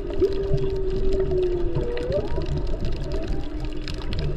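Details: Humpback whales heard underwater while snorkeling off Maui, Hawaii, over President's Day weekend, mostly mothers with calves present. Long, smooth tonal moans hold steady, then bend and rise, over constant rushing water and bubbling noise.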